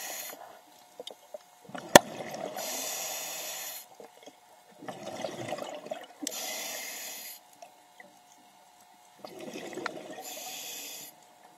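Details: Loggerhead sea turtle giving three breathy, hissing snort-like bursts, each lasting over a second and spaced roughly four seconds apart, with a sharp click near the start and faint watery drips between.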